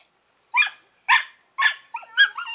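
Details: Young Collies Norris and Amica at eleven weeks give three evenly spaced, sharp high yips about half a second apart, then a wavering, whining yelp.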